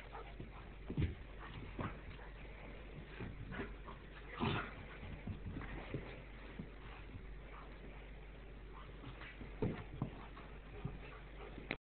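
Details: Two Goldendoodle puppies, brothers Zeke and Obe from the same litter, wrestling across the floor in play; a few short whimpers and yips rise over soft scuffling and a steady low hum, loudest near the middle.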